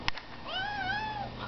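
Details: Pet cat meowing indoors as it chats back and forth with its owner: one drawn-out, even meow that sags slightly in the middle and lifts at the end, after a brief click.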